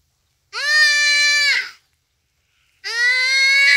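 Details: Duiker being killed by a cheetah at Phinda Private Game Reserve, rainy afternoon, crying for help: two long, steady, nasal bleats, each lasting about a second, separated by a brief pause.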